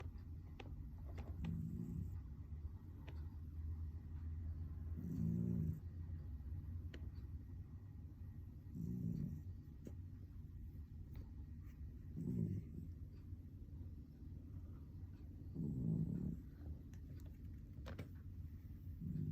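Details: Domestic cat snoring while asleep, deep low rumbling breaths swelling and fading roughly every three and a half seconds, five snores in a row, with a few faint clicks between them.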